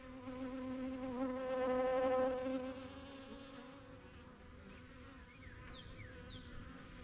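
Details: A single honey bee passes close with a rising, then fading buzz over the steady hum of the new yellow backyard hive; faint quick chirps follow near the end.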